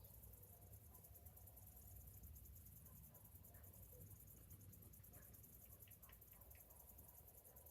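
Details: On a summer morning, a chorus of cicadas keeps up an unbroken, high-pitched, throbbing whine, with scattered short chirps and a low hum in the background.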